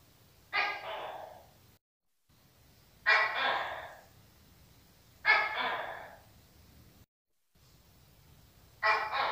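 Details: Four loud, rasping croaks from a Tokay gecko, each a two-part call with an abrupt start and a fading, rough tail, repeated every two to three seconds. The recording has brief silent dropouts.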